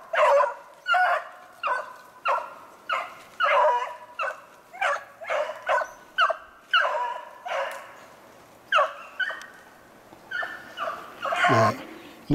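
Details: Beagles on a snowshoe hare hunt, 2/25/16, baying in a steady run of short, sharp yelping notes roughly twice a second, one dog's voice rising to a higher squeal near the end.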